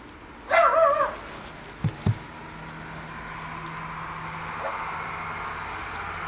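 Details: Two Schipperkes playing in fresh snow in December 2008; one loud, tonal bark rings out near the start for about half a second, followed by two short dull thumps and then a steady low background hum.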